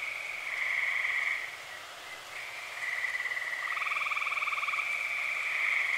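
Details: Tree frogs calling on an early summer night in Eastern Pennsylvania: overlapping steady trills, gently pulsed, held for one to two seconds each, with several frogs overlapping and alternating, one trill with a lower buzzy band joining.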